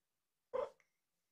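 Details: Rescued mother cat Mrs. C., age four, at Purrfect Pals, chirping beside her kittens Richie and Joanie as Richie is lifted for a close view; a single brief, bright chirp with a faint soft tail, otherwise silence indoors.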